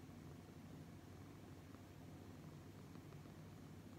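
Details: Brown tabby cat purring while being stroked and cuddled by a man; a steady, low, even rumble runs through the whole stretch under a soft broadband hiss.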